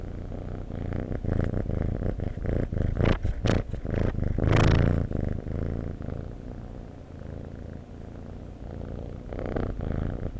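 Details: Domestic cat purring, a low continuous rumbling throb with a few louder broadband rustling bursts in the middle, like fur or body movement close to the microphone.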